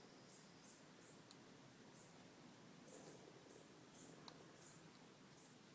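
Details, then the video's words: A family of baby raccoons living under a house deck give faint, high, bird-like chirps, repeated about twice a second. "Raccoon sounds of babies"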